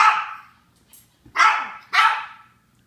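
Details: Japanese Chins barking: three sharp, high yapping barks, the first followed by a pause of over a second, the next two coming about half a second apart, each one bright and quickly fading.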